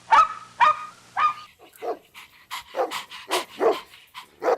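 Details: Puppies competing for toys on green grass give short high yips and barks, a few harmonic whining yelps first, then rapid irregular yaps about twice a second.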